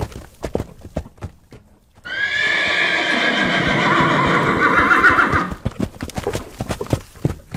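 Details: Horse neighing while galloping: hoofbeats, then a loud, long whinny of about three and a half seconds, shaky and harmonic, fading before the hoofbeats carry on.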